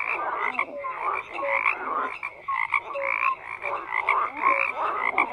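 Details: Several frogs croak at once, harsh throaty bursts rising and falling in waves, with brief tonal chirps scattered between them and a constant high trilling chorus behind.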